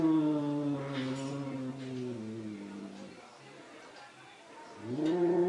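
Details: Angry cats give a sustained low moaning yowl that slowly sinks and fades, then a fresh rising wail starts at the end after a near-silent gap.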